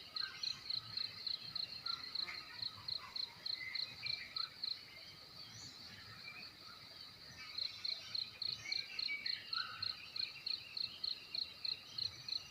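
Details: Crickets chirping in the morning in a village in Ki'e, South Central Timor, East Nusa Tenggara, Indonesia; a thin, high, steady pulsing chirp repeated several times a second, pausing briefly mid-clip, with faint bird calls and soft rural background.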